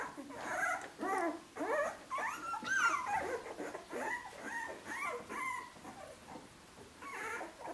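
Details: Several 15-day-old puppies of the Siuwkje litter, drinking, trying to walk and looking around: thin, wavering whimpers and squeals rise and fall in quick bursts about twice a second, some sliding upward into high yelps, in a quiet room.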